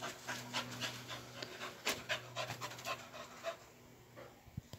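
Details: Cocker Spaniel during fun agility training, retrieving a tennis ball; quick, breathy panting in uneven bursts of roughly four a second, with a steady low hum underneath.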